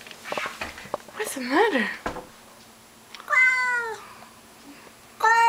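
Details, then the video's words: A human voice murmurs through the first half, then Mr Mittens, a house cat angered by a stray in the outdoor bushes, lets out a drawn yowl that dips in pitch, followed by the start of another. "Mr Mittens bellowed a belligerent battle cry briefly"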